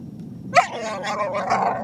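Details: A female dog, still drying off after a dog park visit, makes Chewbacca-like noises while her chin and neck are scratched: a sharp onset followed by a drawn-out, wavering, harmonic groan over a low steady rumble.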